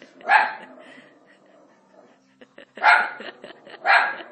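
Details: Italian Greyhound, a male dog at home, barking at Moses on TV; three loud single barks, the first alone and two more close together near the end, over quiet background sound.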